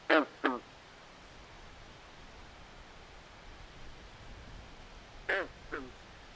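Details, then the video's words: Frog croaking in a swamp at night: a loud pair of rasping, nasal notes at the start, several seconds of quiet hiss, then another fainter double croak. "Natural Ambient Sounds Of Frogs At Night"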